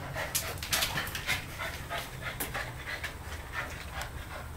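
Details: Two dogs playing for dominance at home, a 10-week-old Siberian Husky puppy and a one-year-old German Shorthaired Pointer; rapid breathy panting bursts with soft scuffling, brief low human speech nearby.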